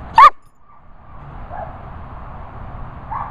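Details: German Shepherd in training giving a single short, sharp bark on command, followed by quiet room noise with faint tonal background.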